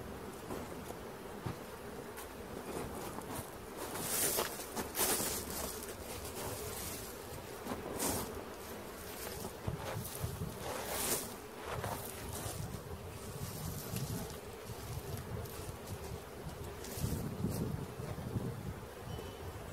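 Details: Many honey bees in a swarm being caught near Christiana, Tennessee hum in a continuous low buzz that swells and fades, overlaid with rustling and scraping sounds.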